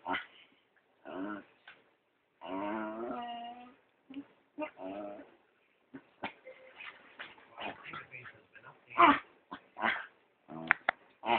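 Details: Playing at home, The PeeWee, a dachshund/chihuahua mix, pesters the other family dog, Dr. Weener, captured on a phone. Whiny nasal squeals and a drawn-out pig-like grunt give way to quick scattered yips, snorts and scuffling clicks.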